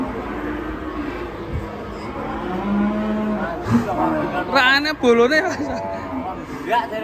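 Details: Enraged cattle bellowing: a flat, steady low moo early on, then louder wavering, bending calls in quick irregular bursts toward the end.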